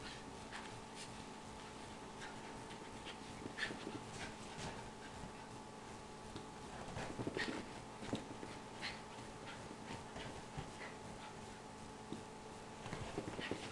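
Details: Female miniature schnauzer panting after entertaining herself: soft breathy bursts in an uneven, fairly quick rhythm, a few louder puffs, with a faint steady hum underneath.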